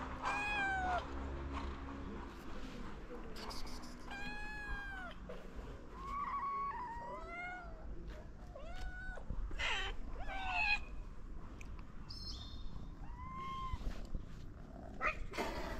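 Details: Hungry stray cats, including a ginger cat, seeking food and care in Morocco: a rapid series of overlapping meows, some arching and drawn-out, others short and rising, with rustling and scattered clicks in between.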